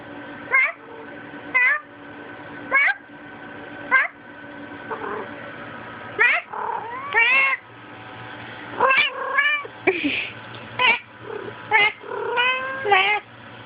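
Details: Female domestic cat, filmed on a Sprint Evo phone, repeatedly attacking her own tail, which she does about every five minutes. Short rising-falling harmonic meows come roughly every second, then longer drawn-out wails later. A faint steady hum sits underneath.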